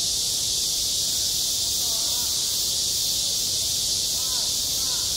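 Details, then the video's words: Cicadas singing at a playground in high summer: a dense, steady, hissing drone high in pitch with a faint rapid pulsing. It carries through the whole stretch, with soft, distant voice-like murmurs far below it. "한 여름 운동장에서 매미가 울고 있다"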